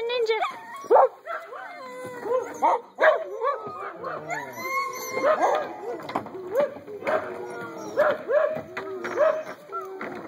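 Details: Eight-week-old puppies, a litter playing outdoors by a fence, giving repeated high yips, whimpers and short barks, with a woman talking over them and birds chirping faintly in the background.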